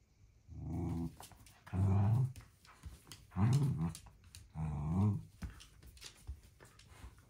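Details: One-year-old female blue merle Shetland Sheepdog named Luca, indoors, tugging her crocodile toy out from behind a narrow fence in a room; four low rumbling growls, each about half a second, spaced roughly a second apart, with small scuffling noises.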